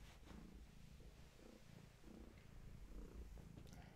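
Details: Long-haired tabby mother cat Gaia purring at bedtime beside her kittens, a faint low pulsing rumble in steady breaths, over a hissy indoor background with light clicks.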